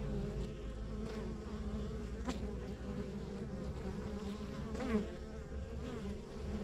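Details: Honey bees at a rural backyard beehive, a steady many-voiced hum with strong low drone and bands near 200 and 450, occasional louder buzz of a bee passing close around five seconds; low rumble underneath.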